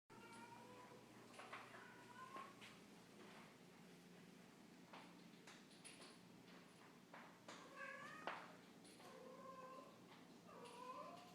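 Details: A pet cat making weird noises for no apparent reason: a series of short, warbling chirps and meows with rising and falling pitch, some bending upward, over a quiet indoor hum.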